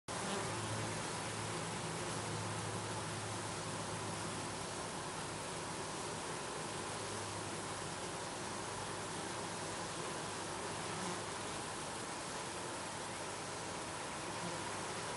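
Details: Honey bees at a beehive, recorded with a Canon 7D camera; a steady, dense hum that continues without breaks, with a faint low drone beneath a broad hiss.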